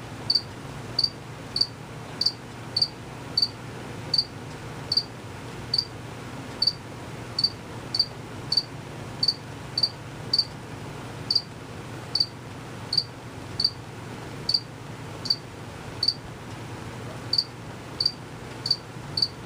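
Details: Male cricket chirping out of sight by moving its wings quickly; clear high chirps in a steady series, about two per second with brief gaps, against a faint low hum.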